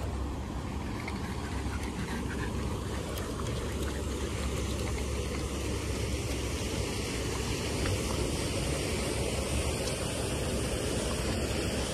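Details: Steady roar of passing traffic and engine noise outdoors, with no animal voice.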